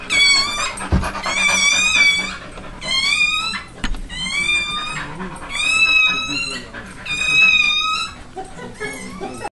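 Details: Newborn pit bull puppy, the first of a litter of ten, crying minutes after birth; piercing, wavering squeals in repeated one-second bursts, with a few thumps and soft voices in the room.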